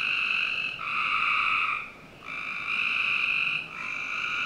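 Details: Frogs calling on a summer night in a Northern Virginia backyard: steady, ringing trilled chorus in long sustained bursts of about a second each, briefly dipping then resuming, with no other clear sounds.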